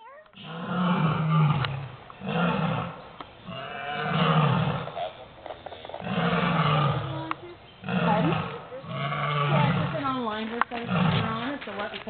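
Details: Lions roaring at a zoo, unseen but loud, near an exhibit: a series of deep, pulsing roars, each swelling and fading over about a second, repeating in bouts roughly every two seconds, with people talking in the background.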